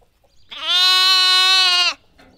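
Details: Lamb giving a single steady, strongly harmonic baa lasting about a second and a half, held at an even pitch before stopping abruptly, against a quiet background.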